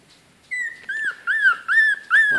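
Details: 19-day-old Bichon Frise x Yorkshire Terrier puppy from a litter of four, eyes just opened, crying on September 4th: five clear, high, arched whining cries in quick succession, each bending up then down, close and loud.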